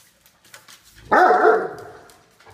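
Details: Great Dane at home greeting visiting dog friends, Max having a loud chat with guest dog Gator: one drawn-out, harmonic, wavering bark-howl lasting about a second, rising then easing off, in a quiet room.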